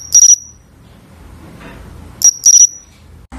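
A cricket gives short, high, clicking chirps in two separate bursts.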